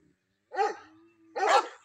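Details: Bully Kutta dog in Punjab, Pakistan, kept for hunting, giving two deep, harsh barks about a second apart, with a faint steady tone in between.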